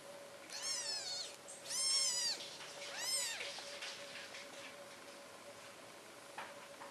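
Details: Four-day-old British Shorthair kittens at a Polish cattery, calling with three loud, high arched mews in quick succession, each rich in harmonics, then quieter faint squeaks; a steady low hum runs underneath.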